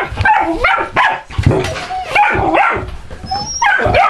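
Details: Two 12-week-old golden retriever puppy brothers being reunited, giving high whining yips and whimpers that bend up and down in pitch, in several short bursts with brief pauses between them.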